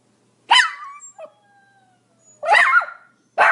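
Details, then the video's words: Small Pomeranian dog letting out a single shrill bark with a trailing whine, a pause, then a drawn-out yowling bark and the start of another. "Pomeranian barking"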